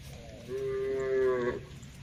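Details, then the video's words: From a herd of tame cattle grazing on a wide green field, a single soft, steady moo of about one second, heard faintly over low background rumble. "suara sapu lembu moo"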